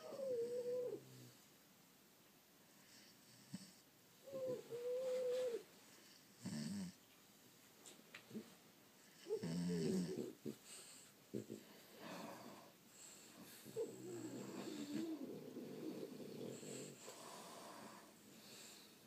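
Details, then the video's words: Sleeping French Bulldogs snoring: irregular breathy bursts, some carrying a thin whistled tone that wavers and dips, separated by quiet gaps of a few seconds. "Snoring French Bulldogs"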